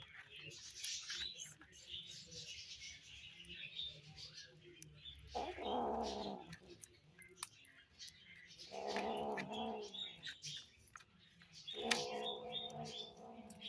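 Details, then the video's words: Hungry kittens vocalising as they eat: three drawn-out, harmonic growling calls, each lasting one to two seconds and spaced several seconds apart, over steady chewing and clicking food noises. "Hungry kittens make noises when they eat"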